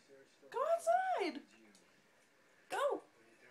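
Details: Bull Terrier named Molly, indoors, wanting out of her crate even though its door stood open: two arching, moan-like whines, the first drawn out for nearly a second, the second shorter, with quiet room background between.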